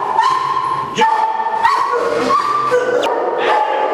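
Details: Several dogs barking and yelping together at a large kennel in India that breeds St. Bernards, English Mastiffs and French Mastiffs; overlapping barks over a steady, tonal whining background.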